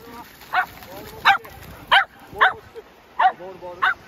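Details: Playful Shetland Sheepdog barking during ball play: six short, sharp barks spaced roughly every half second, with faint speech between them.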